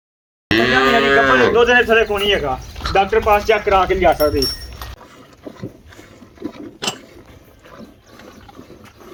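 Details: Cholistani cow, recently calved and five months pregnant, giving seven kilograms of milk: a loud, drawn-out, richly harmonic moo that wavers in pitch for about four seconds, followed by quieter farmyard noise and faint speech.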